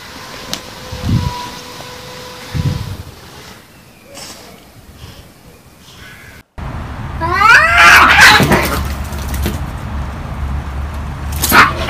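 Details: Street cats in a fight: after soft low thumps and a quiet stretch, a loud wavering yowl with shaky harmonics surges and falls around the seventh second, then breaks into harsh, noisy bursts.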